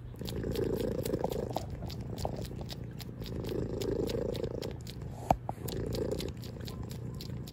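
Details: Loud purring from a house cat: continuous low buzzing rumble in three swelling phases with brief quieter gaps, plus one sharp click near the end.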